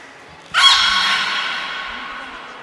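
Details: Single sudden harmonic call from Niko the beluga, in training at the Port of Nagoya Public Aquarium on 25 February 2024; a bright, rich tone bursts in and slowly fades over two seconds in an echoing hall.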